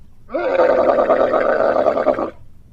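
A camel gives a rough, drawn-out grunt that rises quickly and then holds steady for about two seconds.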